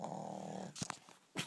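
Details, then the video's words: Brodie, a Shih Tzu, snoring in sleep, recorded 19 November 2012: one raspy, drawn-out snore lasting under a second, then a few soft clicks and rustles before a short noise at the end. "Brodie the Shih Tzu Snoring"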